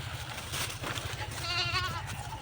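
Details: Goats taken to pasture on a nearby field, young ones let loose to follow along; a short trembling bleat with rapid wobble near the middle, under constant low humming and hiss.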